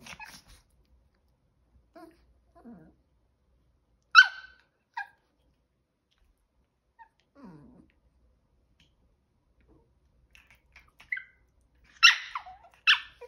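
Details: Pair of 5-month-old male Chihuahua puppies during a failed stealing plan; faint scattered whines and soft noises, then a sharp yip midway and a quick double yip near the end.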